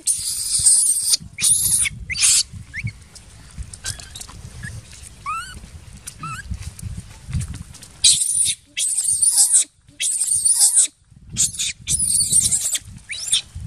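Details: Crying of baby monkey Jinx following an attack by Spring, another monkey: scattered short upward chirps, then loud high shrieking bursts that repeat in clusters near the end, over a low background rumble.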